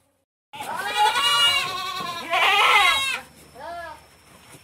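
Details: Noisy female goat in heat in a pen on an Indonesian goat farm, calling for a mate: two long, loud, quavering bleats back to back, then a shorter, softer bleat that rises and falls.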